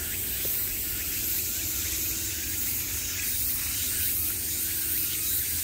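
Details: Summer chorus of cicadas sounding from every direction, a steady shrill buzz with quick, slightly uneven pulses layered over a constant high hiss and soft low background rumble.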